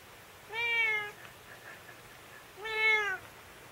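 A Scottish Fold cat gives two drawn-out, harmonic meows about two seconds apart, protesting nail clipping.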